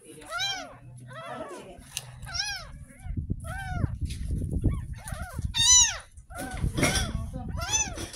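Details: Tiny kitten just ten days old, rescued from a roadside drain, mewing through its first bath: shrill rising-falling cries come in bursts, while a rumble of handling and water fills the pauses.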